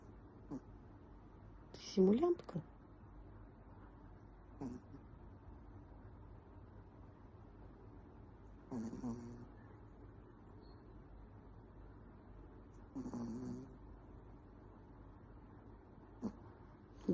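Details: A sleeping Pomeranian with its eyes open snores or grunts in low, rough snorting breaths spaced a few seconds apart.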